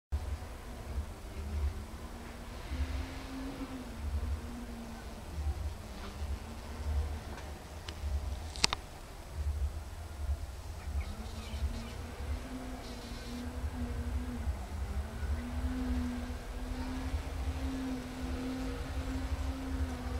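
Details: Bees at work, a low wavering buzz drifting up and down in pitch through most of the recording, fading in the middle then returning stronger, over steady low rumble with one sharp click near the midpoint.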